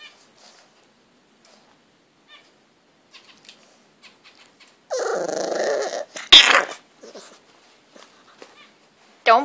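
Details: Butters, a pet English bulldog, attacks his bed indoors, letting out a harsh, noisy growling burst of about a second, then a sharp bark. A woman's voice chatters around him.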